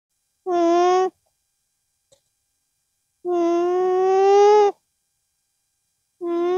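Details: A llama with its young (cria) hums through its nose in steady, nasal tones, one short and one longer rising slightly, a sound it uses to express itself; finding: Llama.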